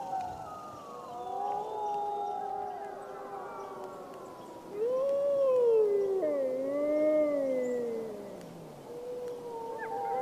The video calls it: Awesome Wolf Howling Compilation